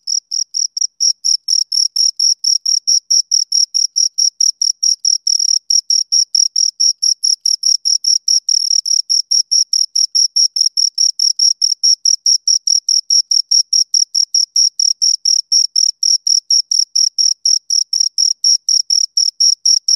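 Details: Two crickets chirping close up: a fast, steady train of high, shrill chirps, about two per second, continuing without a break through the whole stretch, with no other sounds.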